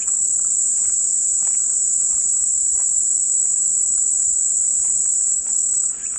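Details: Cicada song as a calm white-noise sound: a loud, steady, high-pitched buzzing drone holding unbroken throughout, with faint scattered clicks and chirps beneath it.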